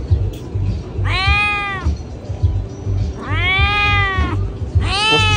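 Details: Pregnant cats meowing loudly: three drawn-out, arching meows about two seconds apart over steady background music with a low repeating beat.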